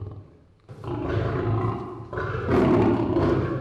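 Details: A captive zoo lion, separated by sex from the others for feeding, gives deep, rough roaring growls in two long, heavy bursts as it demands food on smelling raw chicken meat, growling louder the longer it waits.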